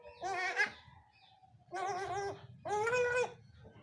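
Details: A first-time mother goat and her newborn kid during nursing training: three nasal, quavering bleats, each about half a second long, spaced roughly a second apart.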